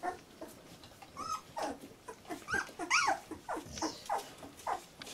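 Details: Labrador Retriever puppy aged 14 days, litter J, indoors: a string of rising and falling squeaky whimpers and yelps, about two per second, with one louder arching whine in the middle.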